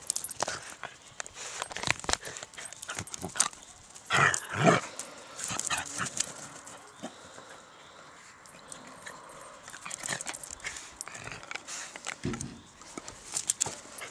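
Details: A dachshund at an allotment garden plot gives a couple of short, sharp barks amid outdoor rustling and clicking.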